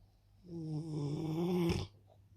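A Rottweiler gives one long, low, rattling snore that ends in a brief snort.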